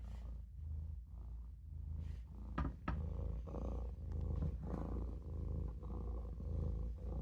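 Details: Napping in the sink, Maine Coon kitten Olof gives a throaty, rhythmic purr with quick breath pulses, plus a few brief knocks or rustles in the middle.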